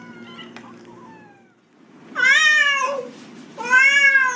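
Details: Domestic cat that dislikes the bathtub; after a faint quiet start come two loud, rich harmonic meows, each rising then falling and lasting about half a second to a second, in a small indoor room.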